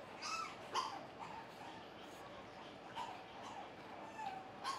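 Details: Finn, a playful male AKC Pug puppy with a soft light fawn coat, during play: a few short, thin, high whimpering yelps spaced irregularly over five seconds, quiet and close, with soft rustling between them.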